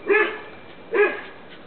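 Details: Dogs outdoors in the sun, an 11-year-old American Bulldog, a Staffordshire bull terrier and a French bulldog together: two short, sharp barks about a second apart, then quiet.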